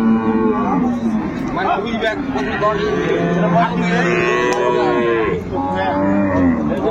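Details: Dairy cows and calves of improved breed at Ambari cattle market, Dinajpur, on 10/2/25: long, low, droning moos overlap one another. A busy market crowd chatters throughout.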